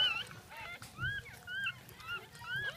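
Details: Jack Russell Terrier giving birth, second offspring, early morning of 10/17/2014: a few short, high, slurred squeaks that rise then dip, spaced about half a second apart, above a faint hum.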